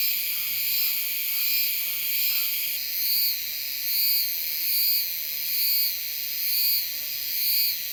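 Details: Euterpnosia laii cicada in Taiwan: a steady high shrill drone overlaid with rhythmic pulsing swells, roughly one per second, in a regular repeated series.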